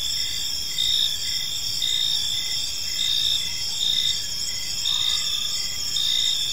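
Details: Crickets in a peaceful park at evening produce an unbroken shrill trill plus evenly spaced short chirps; a faint low swoosh appears briefly near the end.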